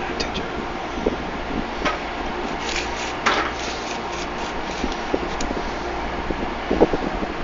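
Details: Steady outdoor hum like a fan or distant traffic, with scattered clicks and a few faint knocks, no animal call standing out.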